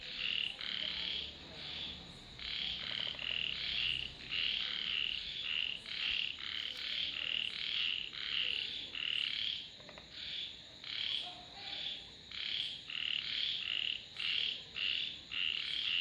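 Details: Frogs calling in a dense chorus: rapid overlapping bursts of bright, rasping croaks repeating roughly twice per second, with faint insect-like ticks above.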